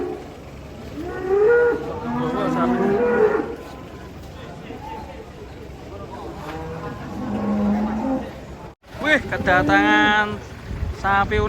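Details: Angry cattle, horn broken, coming off a truck: a long wavering bellow, then a quieter drawn-out moo, a brief dropout, and a sharp rising cry amid vehicle noise and chatter.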